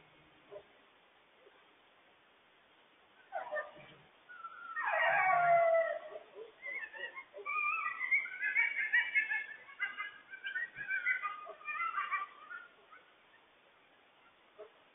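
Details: Coyotes, including a mother, yip and howl frantically to warn their family about a huge loose stray dog. A few low barks come first. A loud wavering howl follows at five seconds, then a chorus of rapid high yips until near the end.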